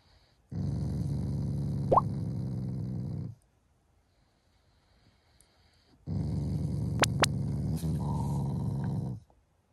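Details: Affectionate, non-angry growl of a family Shiba Inu toward its owners in the morning; two long, steady low rumbles of about three seconds each, separated by silence, with faint clicks during the second.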